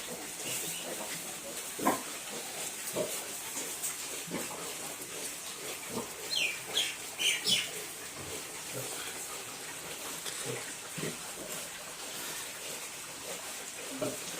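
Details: Duroc piglets on a pig farm in Assam: soft, short grunts come at irregular intervals throughout, with a few higher squeals bunched near the middle, all over a steady background hiss.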